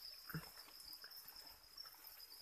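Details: Chick-feed-reared crickets in a breeding pen produce an even, high-pitched trill throughout, broken only by a brief low knock and light scratching noises.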